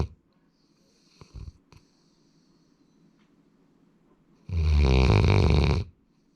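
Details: Sora, a male Labrador Retriever born in February 2019, snores indoors: after a few soft faint noises, one loud, rasping, deep snore lasting over a second.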